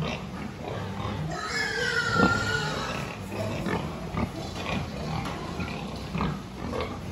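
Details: Farm pigs at a health check, 26 October 2023: a drawn-out falling squeal near two seconds stands out above a bed of low, choppy grunting from many animals, amid constant barn hum.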